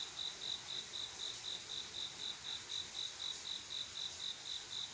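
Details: Cricket song on a quiet summer night, a male calling to attract a female for mating; a steady high chirping at about four chirps per second, evenly spaced pulses over a faint hiss of distant insects.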